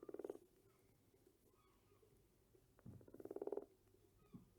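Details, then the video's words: Two short, rattling frog croaks, one at the start and another about three seconds later, each a quick train of pulses, with soft low thumps in between. "Efeito sonoro de sapo"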